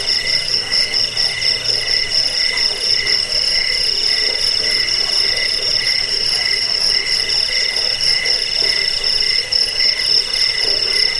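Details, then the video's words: Chorus of crickets, used as a rat-repellent, sleep and bird-tutoring sound: unbroken shrill trills at a few high pitches, finely pulsed, over a murmur of lower intermittent notes, constant in loudness. "Suara jangkik"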